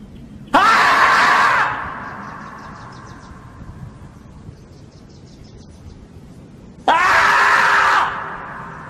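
A groundhog lets out two loud, harsh screams, each about a second long, several seconds apart.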